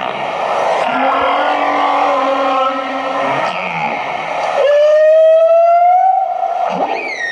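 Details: Humpback whales chattering when bubble nets fail, playfully likened to an argument: overlapping tonal moans and groans, then a long, clear, slowly rising whistle-like tone lasting about a second and a half, ending with a short upswept cry.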